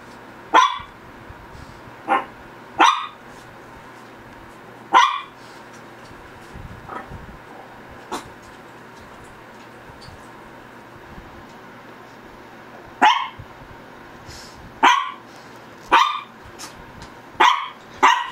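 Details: Pet Shih Tzu from the pair Ggung and Ssong barking in irregular bursts, a cluster of five sharp yaps, a long quiet gap of several seconds, then a faster run of about seven more.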